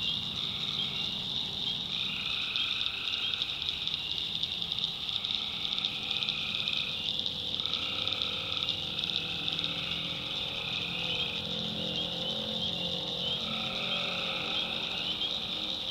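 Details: Swamp at night in the North Carolina backwoods, full of calling tree frogs. A continuous high buzzing trill carries under recurring mid-pitched drawn-out notes, each lasting one to two seconds, from several overlapping callers.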